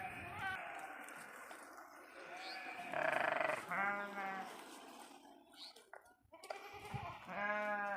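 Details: Sheep grazing on pasture in a forest; two wavering, nasal bleats rise out of ongoing human talk, with other faint bleats and rustling in the background.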